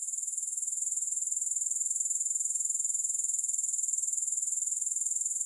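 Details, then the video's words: Unbroken high-pitched grasshopper chorus, a sizzling trill of quick, evenly spaced pulses holding steady loudness throughout, with no music or other noise. "Grass Hopper Sounds"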